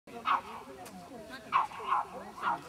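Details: Cairn Terrier at a club agility practice session gives four short, sharp yaps spread over under three seconds, each a brief bright burst, with faint background voices and room noise.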